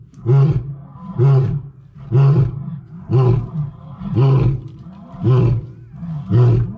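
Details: Lion roaring sequence, the closing grunting series of a roar: seven deep, evenly spaced grunts about one per second, each a short rumbling burst.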